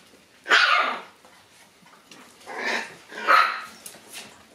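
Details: Momo, a black Shiba Inu puppy born on August 25, on the morning she leaves: three loud, high yelping barks, the first sharp and strong, then two shorter ones about half a second apart.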